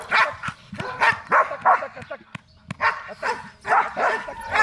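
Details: Belgian Malinois in guard and protection training in Zumpango, State of Mexico, on its first time going out to attack. Loud, harsh barks come in rapid irregular bursts, with short pauses between volleys and some human voices in the background.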